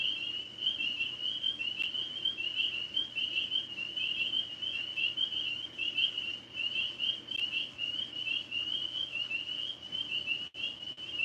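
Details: Tree frogs calling outdoors in the evening, with dogs nearby just taken inside because of distant gunshots; a steady, high, pulsing trill chorus runs unbroken throughout, with a faint low hum and a brief crackle near the end.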